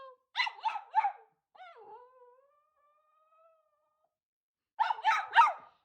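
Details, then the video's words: Cavapoo dog barking out of frustration when a treat or toy is hidden under something she cannot reach, to get her owner's attention; three quick sharp barks, a drawn-out whining whine, then three more barks. "If, for instance, a treat or toy gets hidden underneath something, she'll bark to get my attention to say that she needs to get it out and she can't get it out on her own."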